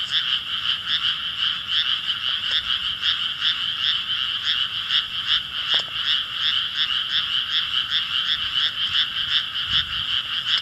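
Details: Chorus of many frogs calling together, a dense, continuous pulsing croak with a bright buzzy band, steady and unbroken throughout, with faint low rumble beneath.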